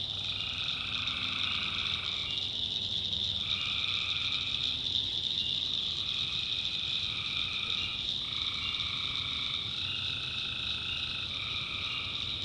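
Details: At night in the backwoods of North Carolina, tree frogs trade rapid, buzzy call bursts, one group answering another every second or two, while crickets keep up a shrill, unbroken drone.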